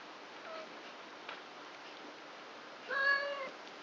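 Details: Three-week-old kitten, one of four born on 29 March to the cat Krampus, playing with its littermates indoors at night; a clear harmonic meow near the end, preceded by a faint short mew and soft rustling.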